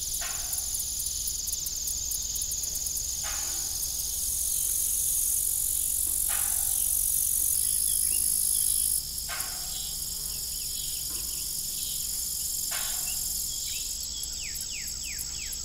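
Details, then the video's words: Crickets chirping in the evening at an old family farm with a rusty broken windmill, a steady high trill over recurring creaks and groans of metal, with some shifting high tonal bands. "Evening Cricket Sound"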